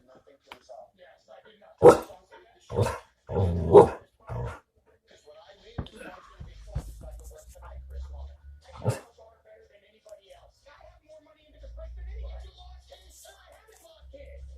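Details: Giz the dog barks indoors in sharp, broadband bursts: a quick run of four barks in the first few seconds, then one more after a pause. Human speech and a low hum fill the gaps.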